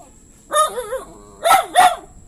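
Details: Dog giving three voiced, wavering calls: one long wobbling cry that rises and falls, then two shorter barks in quick succession after a brief pause.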